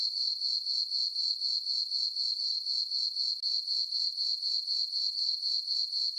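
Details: Night chorus of crickets in a summer farm meadow beneath a full moon: continuous high-pitched chirping beating evenly at about four pulses a second, with no other sounds.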